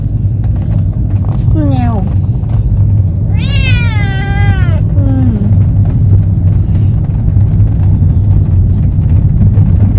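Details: Domestic cat on its first journey, out sightseeing, chatting with a quick falling meow, a long wavering meow near four seconds and a brief third call, then several seconds of steady low rumble only.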